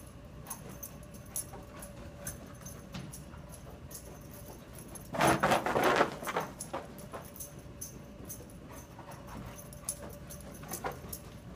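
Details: Cardigan Welsh Corgi and Gordon Setter playing together indoors in a basement on a sub-zero morning; one loud, rough, noisy burst of about a second mid-recording, surrounded by soft scuffling and clicking sounds.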